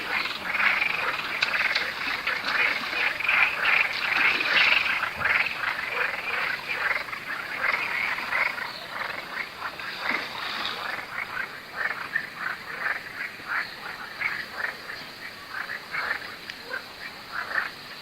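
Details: Frog chorus by a river in south-west France on the last day of a four-day heatwave: dense, continuous overlapping croaks and clicks from many frogs, steady throughout with rapid irregular pulses and no other clear sounds.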